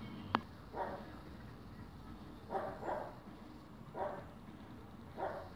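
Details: Fox terrier puppy Edi searching; a sharp click then four short barks about a second apart, some doubled, over steady low background noise.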